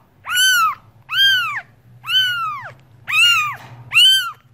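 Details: Loud, drawn-out cat meows, five in a row roughly one per second, each a clear harmonic arch; steady low hum in the background.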